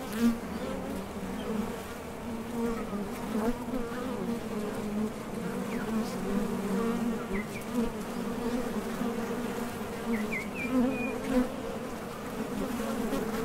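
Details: Honey bees leaving and landing at a top bar hive entrance on nectar trips; a continuous low buzzing hum, with faint high bird chirps near 7.5 and 10.5 seconds.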